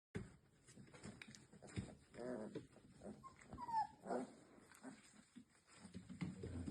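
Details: Labrador Retriever puppies just over three weeks old play fighting with each other: low scuffling growls with thin high squeaks and whimpers, amid rustling and bumping.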